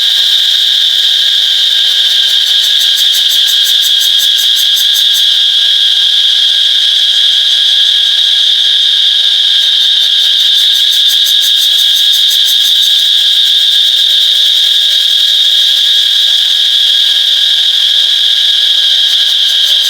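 A cicada holds a loud, unbroken, high-pitched buzz throughout. At times a faster pulsing rattle layers over the steady drone, then fades again.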